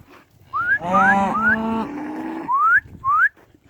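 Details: Limousin cattle being driven along a roped-off lane between fields to the next pasture, following the herder. One long, low, harmonic moo of about one and a half seconds, framed by short rising human whistles calling the herd.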